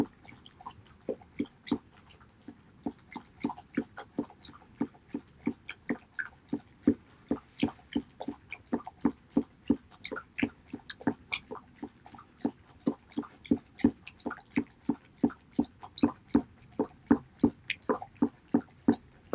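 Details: Male Border Collie Haedeun laps up pollack soup on 19 August 2018, a fast steady train of wet slurping clicks, about three each second, continuing without pause in a quiet room.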